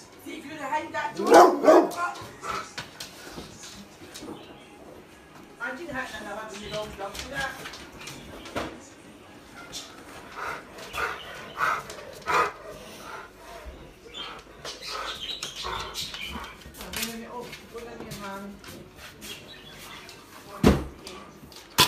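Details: A Rottweiler gives deep, loud barks in short bursts at Nerf guns it dislikes, while people talk nearby.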